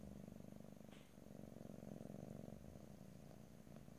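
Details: A house cat purrs in a low, buzzy rumble of quick regular pulses, dipping briefly near the one-second mark before resuming, with a faint soft click; stereo recording, no talking.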